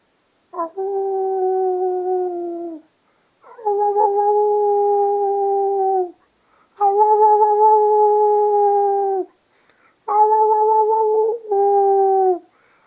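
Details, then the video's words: Miniature Schnauzer named Sky, a three-year-old female, howling along with her owner. Four long sustained tonal howls, each two to three seconds, steady pitch with slight dips at the ends, separated by short pauses, indoors. "sky (mini schnauzer) howling and talking"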